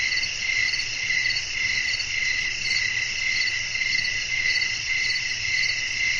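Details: Night-time nature scene with wind and crickets calling for sleep and relaxation; a dense, shrill insect chorus with rapid, less evenly spaced chirps roughly twice a second, layered over steady high buzzing and a soft low hum.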